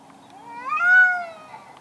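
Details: Cat in a garden, one of two angry cats fighting: a single loud drawn-out wail that rises in pitch, holds strongly for about half a second, then sinks and fades, rich in harmonics.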